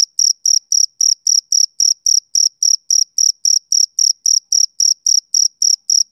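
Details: Male cricket chirping on a summer evening: clean, high-pitched pulses of even length, about three or four each second, with no other sounds behind them.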